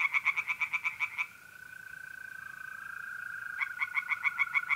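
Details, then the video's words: Pond tree frogs at night in mid-April in north-east Italy give a burst of quick pulsed croaks, fall silent leaving only the steady mole cricket trill, then resume their rapid calling. "relaxing singing tree frogs in pond and trilling mole crickets by night"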